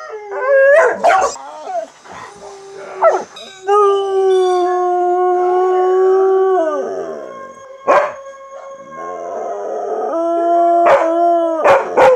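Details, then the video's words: Chocolate Lab named Luna howls at home, long steady notes held for several seconds that slide downward at their ends, interrupted by short sharp yelps and brief noisy bursts. ""JUST-A-HOWLING" "Just Luna" Chocolate Lab"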